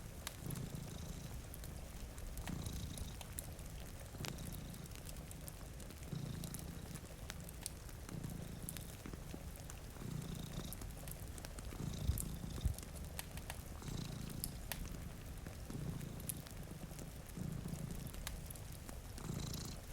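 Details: Sleeping cats purring by a rain-streaked window near a crackling fireplace; a steady low rumble rises and falls in rhythmic breath cycles throughout, overlaid with frequent pops from the fire and a constant rain wash.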